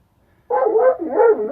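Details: Ten-day-old German Shepherd puppies in a litter of two females and one male: after a moment of silence, a steady, tonal whimper wavers up and down for about a second.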